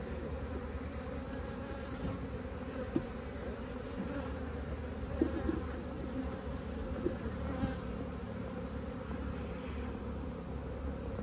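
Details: Bees at a beekeeping farm among flowering mustard in Bharatpur, Rajasthan, India, during the mustard flowering season; a steady low buzzing hum from many bees throughout, with a few faint clicks.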